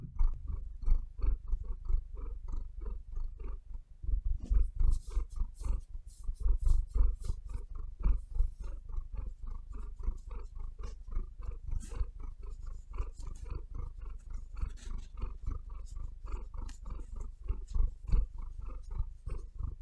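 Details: Pet cat purring and breathing close up on a bed, a steady low rumble pulsing in quick inhale-exhale bursts, overlaid by frequent sharp scratchy clicks of claws kneading into the bedding.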